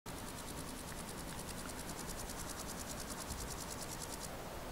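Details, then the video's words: A male red-legged grasshopper (Chorthippus binotatus) sings a high, dry rasping series of evenly spaced pulses that stops abruptly, recorded 30 July 2021 at Monrepos, Spain. "Red-legged Grasshopper Chorthippus binotatus, singing male"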